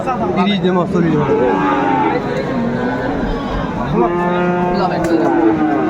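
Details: Friesian and crossbred bull calves at Aftabganj market, Dinajpur, Bangladesh, 10 September 2024, amid price haggling; deep bellows with sliding pitch, one starting low and rising then leveling, over loud crowd talk.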